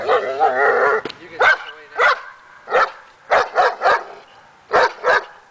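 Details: Dog barking during agitation table training aimed at more confidence: a whining, wavering sound opens, then about nine sharp, punchy barks follow, some in quick pairs, separated by short silences.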